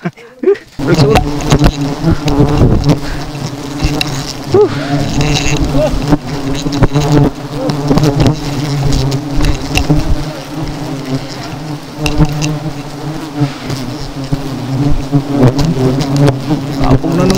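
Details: Honey bee swarm from seven hives, stirred up and chasing people after the nests were brought down: a loud, dense, steady droning hum with strong low tones, clicks and knocks throughout, faint voices now and then.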